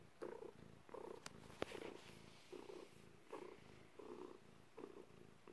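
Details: Purring of a domestic cat during birth, recorded indoors; steady rhythmic purr with clear pulses about every 0.6 seconds, each breath a throaty buzzy rumble, plus two sharp ticks early on.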